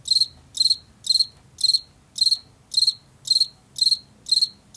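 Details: A field cricket, an insect of fields and forest edges in late summer and fall, chirps in crisp, shrill pulses spaced roughly half a second apart, each burst slightly trilled, over a quiet low rumble.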